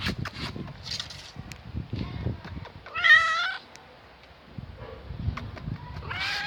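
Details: Old hungry, thirsty female cat found in a garage, meowing to ask for food: one loud, strained, wavering meow mid-clip, with softer meows earlier, amid handling noises and a person speaking quietly.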